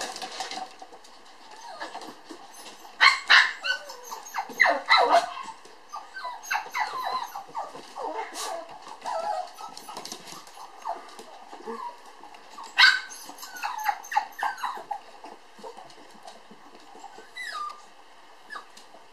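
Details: Two lively toy poodle puppies, sisters born July 9, romping at a breeder in Ōtsu, Japan: a quick stream of high, yappy barks and squeaky yips with scattered louder bursts and faint voices behind.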